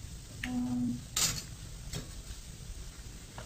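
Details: A short steady electronic-sounding tone, a few sharp clicks and faint tapping over a low background hum; no animal voice.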